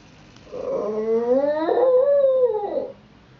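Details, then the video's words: A 9-year-old Shih Tzu named Missey keeps watch from a front window and lets out one long howl of about two and a half seconds, climbing slowly, holding, then sliding down at the end. "Our Shih-Tzu Missey in Howling Overdrive"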